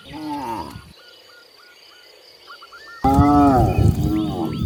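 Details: Free-roaming cows in nature: a short harmonic moo, a quiet gap with small repeated chirps, then a loud, deep, wavering moo breaks in abruptly.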